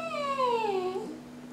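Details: Coco, a trained Jack Russell Terrier puppy, indoors, copying his owner's 'Merry Christmas': a one-second harmonic, whine-like howl that glides steadily downward in pitch and breaks off abruptly, over a steady electrical hum.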